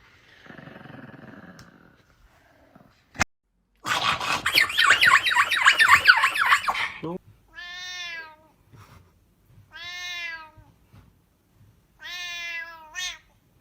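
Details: Pet cat from a compilation of angry, freaking-out pets: a harsh, rasping burst of noise, then three drawn-out, harmonic meows, each falling slightly, spaced roughly two seconds apart, with a sharp click beforehand.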